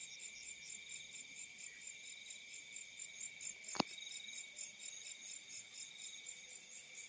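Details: Crickets in the fields at night give steady, high, pulsing trills that overlap into a continuous shimmer.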